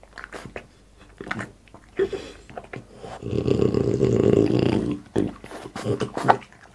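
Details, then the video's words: A French Bulldog called Boss chews food indoors for an ASMR mukbang. Scattered crunchy bites give way to a sustained rough, low grumbling snort lasting nearly two seconds, then more clicking chews. "ASMR MUKBANG BOSS FRENCH BULLDOG EATING"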